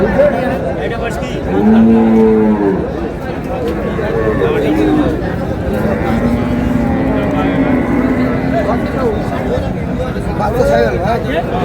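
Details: Cows with calves for sale at a Friday cattle market at Ambari in Dinajpur district, Bangladesh, 20 February 2026: a loud drawn-out moo around two seconds, a second long low moo near seven seconds, under constant crowd chatter and bargaining voices.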